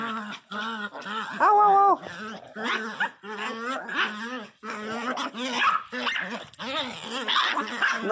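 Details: Miniature Pinscher named Teco crying very loudly, a run of wavering, yelping whines and moaning howls rising and falling in pitch, with one brief louder drawn-out cry, while a woman talks to the dog throughout.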